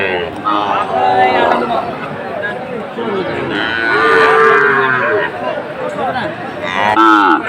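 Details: Sahiwal bull at a cattle market on 7 September 2024: drawn-out harmonic moos, one near the start and a lower, longer one mid-clip, over constant crowd chatter and bargaining voices.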